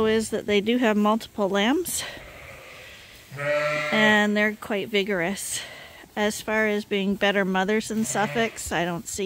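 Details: Lambs awaiting their top-up feed from a hand-made bottle feeder give short, stacked bleats in quick runs, then one longer drawn-out cry, with a mix of quieter background voices between calls.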